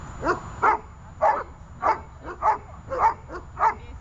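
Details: A dog being trained in guard work, holding and barking, lets out seven loud, punchy barks spaced roughly half a second apart in a steady rhythm.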